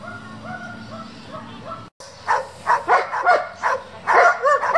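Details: German Shepherd from a breeding and competition working group; a wavering, tonal sound opens, a brief silence follows, then a run of loud, rapid, irregular barks fills the second half.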